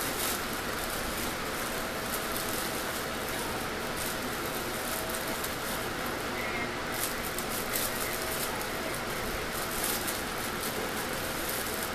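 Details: Steady broadband rushing noise, like a passing vehicle or rumbling machinery, fills the recording with no animal call standing out.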